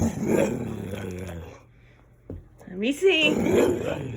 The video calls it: Playful Dalmatian Dog — makes gremlin sounds!